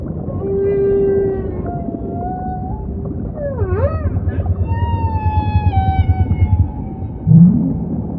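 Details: Humpback song in ocean ambience, with a sequence of varied units: a steady hum, a dipping swoop, a low pulsed grunting passage lasting about three seconds, and long gently falling moans, all over low rumble.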